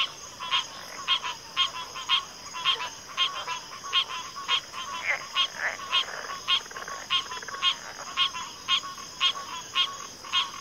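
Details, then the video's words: Frog chorus: short rasping croaks repeated in a steady beat about twice a second, with scattered softer calls between, over a constant high insect drone. "FROGS - Pig Frogs, Water Frogs, Backwater Chorus, & Frog Chorus"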